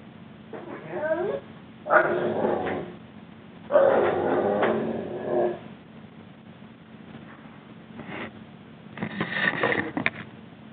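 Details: Juba the Rhodesian Ridgeback, three weeks after arriving home and now in crate training, complains about his time out in a series of separate whining, grumbling outbursts of varying length, some wavering in pitch.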